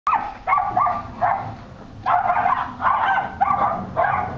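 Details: Cairn terrier and West Highland white terrier kept as pets, barking in short bursts with sharp yips between pauses.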